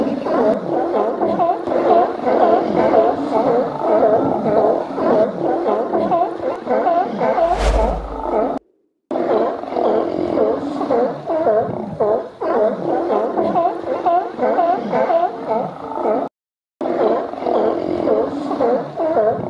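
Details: California and Steller sea lions gathered in hundreds at Cowichan Bay, British Columbia, in autumn while feasting on spawning salmon; dense, overlapping hoarse barks and roars pour out continuously, with one low thump and two brief silent breaks.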